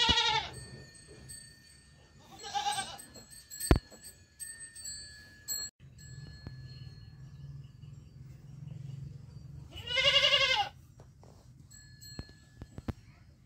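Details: A young goat kid bleats three times, each call a short wavering harmonic cry with long quiet gaps between, over a low steady hum and a few sharp clicks.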